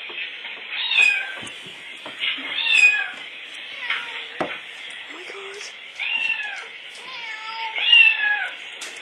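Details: Pet cat Oscar, worked up by recorded meowing, with repeated wavering meows about every two seconds, some rising then dropping, mixed with short clicks and faint voices.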